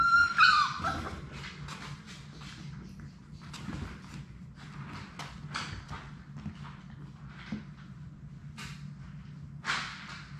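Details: Labrador Retriever puppies from Sadie's litter of six playing together in an indoor puppy room. A sharp, high whine opens, then scratching, shuffling paws and scattered clicks fill the rest, with a faint low hum underneath.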